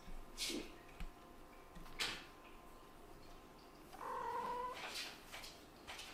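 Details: Male kitten brothers, Scottish Fold × British Shorthair, make brief squeaky, growly noises with scuffling thumps while play-wrestling.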